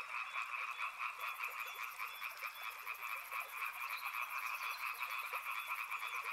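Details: Dense chorus of frogs by a river, overlapping rapid croaks forming a constant rattling drone, with a high fast pulsing rattle running above it from the first second onward.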